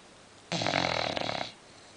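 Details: Female English Bulldog snoring while asleep: a single loud, rattling one-second snore with a fluttering, pulsed texture, then quiet.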